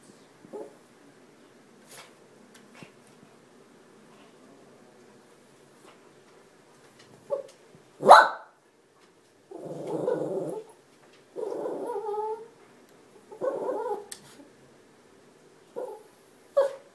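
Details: Shih Tzu puppy keeping watch on the neighbourhood from a front-room perch, barking at strangers; after a quiet start, a loud yap then a run of harsh barks and shorter yaps, indoors.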